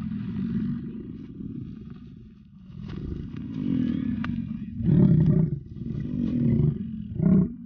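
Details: American bison bulls in rut at Yellowstone, wild. Deep, rough, roaring bellows surge near the five- and seven-second marks over a steady low rumble that hums beneath the whole recording.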